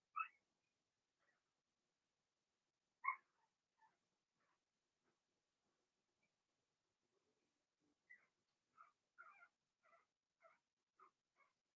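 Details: Cavalier King Charles Spaniel puppies, a Blenheim litter of six in an indoor puppy pen; scattered soft squeaky whimpers, then a quick run of short repeated yips near the end, with quiet gaps between.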